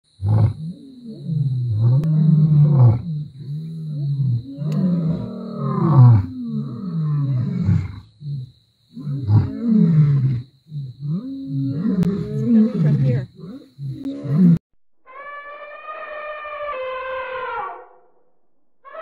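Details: Lions at Thornybush, from the Northern Black Dam males and their Avoca Pride: deep grunting roars in a long series of bursts, each swelling and fading, then a brief harmonic musical tone near the end, with a steady high whine throughout.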